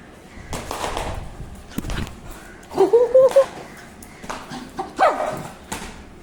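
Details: Dog giving short scattered barks with a brief rising whine in the middle and another near the end, separated by quiet gaps.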